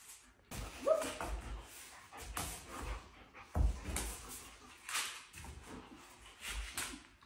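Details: A happy female German Shepherd puppy named Kim lets out several sharp, brief barks a second or so apart, with thumps and household clatter around her.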